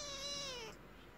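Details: A kitten calling to its mother with a single drawn-out meow, clear stacked harmonics sliding slowly downward over about three-quarters of a second, then quiet room.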